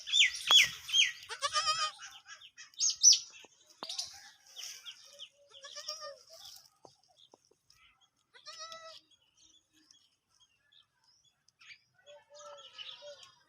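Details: Desi Sindhi goats, both kids and adults, bleat in short, wavering, nasal bursts, with the higher kid voices mixed among the adults.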